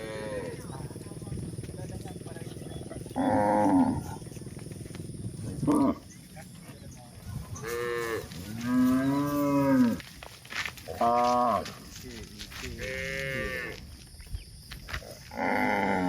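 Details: A herd of village cows out grazing on countryside pasture moo repeatedly, giving low, drawn-out calls with rich harmonics that rise and fall.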